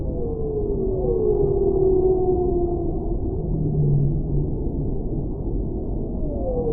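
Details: Whale song of long, overlapping wailing tones that swoop and slowly fall, followed by a deeper sustained moan and a rising note near the end, all over a steady low rumble.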